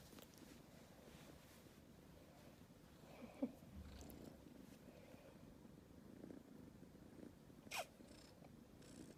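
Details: Steady low purring from Aleef, a rescued calico kitten about two months old, continuous throughout, broken by a couple of faint clicks.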